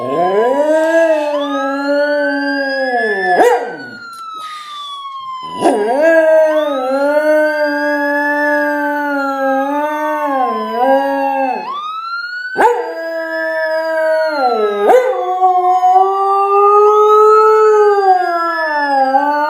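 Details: Misha, a dog, howls along with a police siren: long, wavering tones that rise and fall, broken by short pauses, over the siren's smooth sweeping wail. A person praises the dog between howls.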